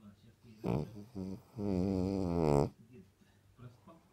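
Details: Snoring sleeping dog, said to snore like a KAMAZ truck; short snorting puffs lead into a single loud, vibrating, droning snore of about one second, followed by quieter breaths.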